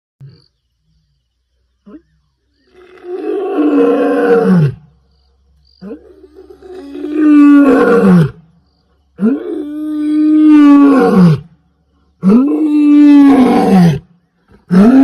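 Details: A lion roaring: four long, loud, deep groaning roars, each about two seconds long and separated by short silences, each ending in a falling moan, with a quieter grunt near the start.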